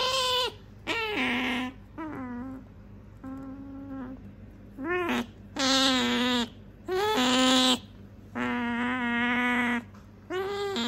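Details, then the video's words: Female pet otter Sakura indoors, repeatedly demanding something her owner has; rich harmonic squeals and whines, some short and some drawn out over a second, coming in uneven bursts with brief gaps. "いらないって言ったのに飼い主が持ってると何度でも欲しがるカワウソ Otter want it as often as their owners have it."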